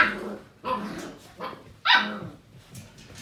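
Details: Seven-week-old Portuguese Water Dog puppies at play indoors: four sharp, high-pitched yappy barks in quick bursts, spaced roughly half a second apart, with short quiet gaps between them.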